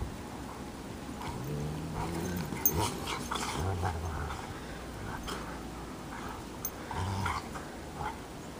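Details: Minnie and Bear, a pair of Bernese Mountain Dogs, play in the snow, giving deep, drawn-out growls in several separate bursts among rustling and panting noises.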